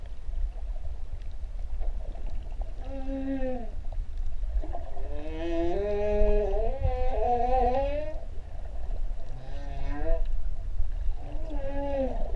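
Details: Humpback whales at Ha'apai, Tonga, in the season when newborn calves are present: short upward-bending whines and a longer wavering one, repeated every few seconds over heavy low rumble of water.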